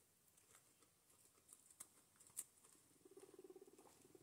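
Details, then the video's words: Two guinea pigs, Gerti and Walter, newly kept family pets, eating breakfast indoors: crisp scattered munching clicks, then a low, fast-pulsed rumbling chatter rising over the final second, stuttering in quick even beats. "relaxing cute guinea pig noises"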